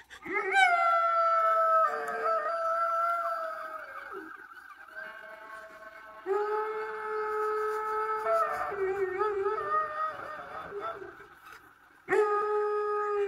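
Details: A Weimaraner howls at home in La Crosse, Wisconsin, USA, on May 21, 2023, in long, sustained, wavering tones that rise and fall in pitch.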